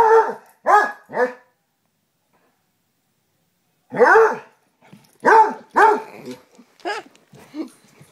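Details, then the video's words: Basset Hounds Tracker and the young puppy Ranger playing rough: three quick barks, a pause of about two and a half seconds, then another volley of loud barks tapering into softer yips and grumbles. "Basset Hounds playing"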